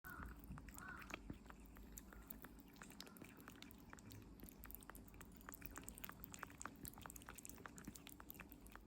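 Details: Norimaki, a 57-day-old kitten, eating Medifas weaning food indoors: a steady run of soft wet clicks and smacks from licking and chewing, a faint brief squeak near the start, quiet room hum underneath.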